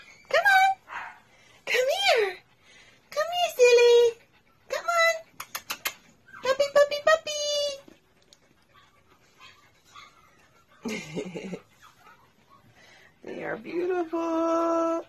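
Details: Sophie, a rescued Shih Tzu mother, and her three puppies up for adoption: short squealing yelps and longer flat, whining cries come in quick bursts, then pauses, mixed with a woman talking softly to the dogs indoors.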